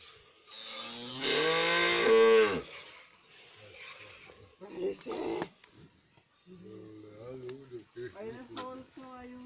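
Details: Cows being milked on a ranch in the Sierra de San Dimas, Durango, Mexico; one long, deep, harmonic moo swells and fades, followed by human voices talking nearby.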